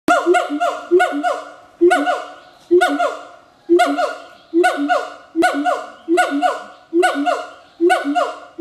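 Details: Captive pair of siamang gibbons duetting at Schmutzer Primate Center, Jakarta, Indonesia, late morning, April 2012: loud harmonic barks that fall in pitch, repeated in steady bursts about once a second, ringing and rich.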